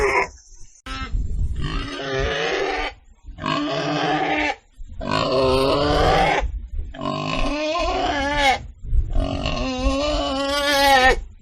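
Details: Domestic pig giving about six drawn-out, harmonic grunting squeals in separate bursts with short silent gaps between them. Some bursts waver and bend in pitch, and there is a rough, low rumbling undertone.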